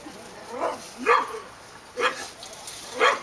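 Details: Dogs barking at Park Drive: four short, sharp barks about a second apart, each a brief rough burst of mid-pitched tone over faint background hiss.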